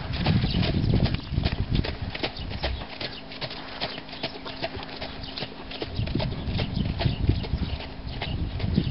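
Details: Four-year-old stallion by Sandro Song, hooves clip-clopping in a steady rapid rhythm of about three beats per second, with low rumbling ground noise and faint background sounds.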